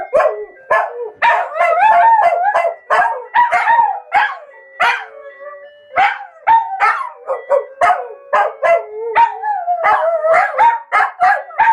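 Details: Bubu and Charlie, two household dogs, howl along when the phone alarm sounds at 13:00 each day; a long run of yodelling howls and choppy yelps, pitch bending up and down, with a faint steady tone beneath.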